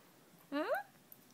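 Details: Baby poodle puppy letting out one short, quick whine that rises and then falls, over a quiet room background.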